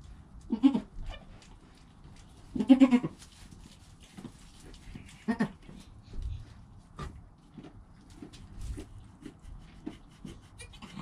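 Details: Newborn goat kid named Joel, recorded on a GoPro within an hour of birth beside his calm mother Penny; three short, harmonic bleats come at uneven intervals, with quiet shuffling and low background rumble between them.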